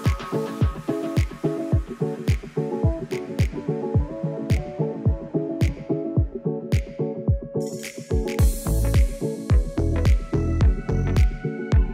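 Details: Electronic music with a regular thumping beat and layered synth tones plays throughout, with no animal sounds audible.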